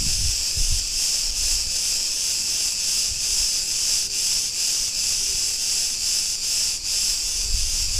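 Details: Street in Ierapetra, Crete, Greece, filled with the steady high-pitched rasping drone of Cretan cicadas, faintly pulsing, with brief low rumbles at the start and end.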